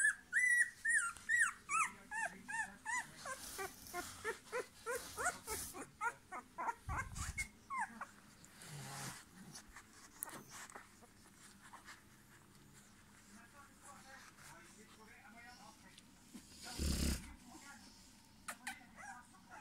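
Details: Rottweilers in a nest (litter) whimper with high, thin whines and squeals in quick succession, fading to low shuffling noise.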